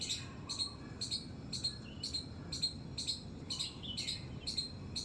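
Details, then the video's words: Squirrel in a terrace garden uttering shrill, clipped squeaks in a steady series, roughly two each second, over a soft low background rumble. "squirrel's squeak squeak sound"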